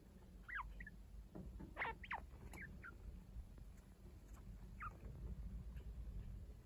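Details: Young chinchillas indoors, one week old, looked after by the unrelated adult Kaito. Short chirpy squeaks slide downward in a quick cluster near the start, then one more later over faint scuffing and hum.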